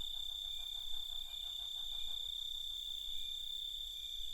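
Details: Night chorus made up mainly of crickets: a continuous high-pitched ringing trill runs throughout, while rapid rows of pulsed chirps repeat in a lower voice across the first three seconds.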